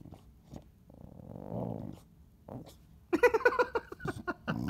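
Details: Chow Chow indoors in a small room, growling at its owner during a tussle over an object; a low rumbling growl of about a second, followed by sharper harmonic bursts and a person's voice nearby.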